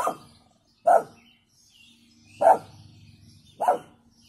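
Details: Female brindle American Staffordshire Terrier named Liberty giving a weak warning bark; four short, soft barks, spaced roughly a second or more apart, with quiet gaps between them.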